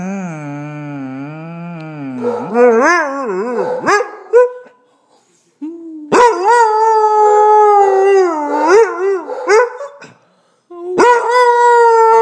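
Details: A Basset Hound howls and "talks" in long, wavering tones that rise and fall in pitch with yodel-like breaks, while another dog barks at a hot water heater.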